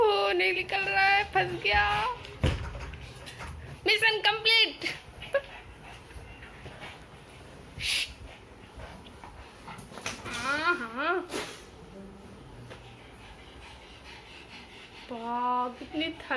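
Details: Several quick, wobbling whimpers from Lucy the Pug puppy, each bending up and down in pitch. They cluster at the start, in the middle and at the end, with indoor rustling and background noise between them.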